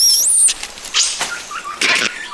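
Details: Red colobus (Piliocolobus badius) in the upper forest canopy, part of a mixed-species monkey alliance, gives its snake alarm call: high, thin squeaks and chirps in quick bursts that other monkey species, such as mangabeys, understand.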